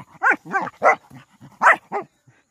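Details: Saint Bernard playing with local dogs: a rapid series of about seven short, harsh, mid-pitched barks in under two and a half seconds, with brief gaps and no other clear sounds.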